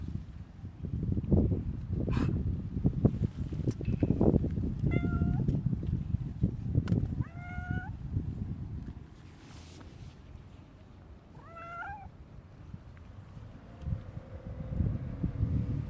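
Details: Domestic cats, a grey tabby and an orange tabby, meowing in greeting at the door on 17 January 2025 while rubbing against someone; three clear bent meows spaced a few seconds apart, with shuffling and rustling around them.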